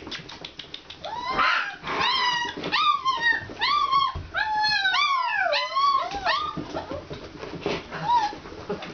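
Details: Alaskan Malamute puppies at Kalamals Kennel on their first time outside: a chorus of high, arching whines and yelps that rise and fall in quick succession, overlapping from several pups, with brief breathy yips between.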